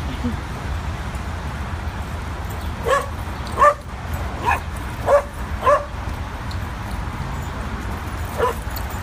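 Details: Two adopted dogs playing at a west-side NYC dog park for the first time; a quick run of bright yips and barks in a cluster, then one more after a pause, with voices and traffic hum behind.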